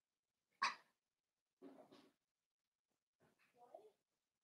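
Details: Blenheim Cavalier King Charles Spaniel puppies, a litter of five born on New Year's, playing with their mother indoors: one sharp, loud bark, then two softer, rougher yaps and a thin, whiny yip at the end, with quiet gaps between.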